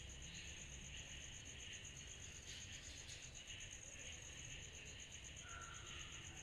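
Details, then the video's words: On a summer night, cicadas keep up a dense, pulsing high buzz that throbs rapidly and steadily, with a softer lower drone and a short faint whistle near the end. "Summer Night Cicadas Sound Effect"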